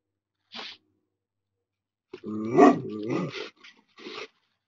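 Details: Anatolian Shepherd guarding goats against a coyote: a short faint sound, then a loud, rough, harmonic bark-like outburst lasting over a second, followed by a brief closing yelp, against a quiet background.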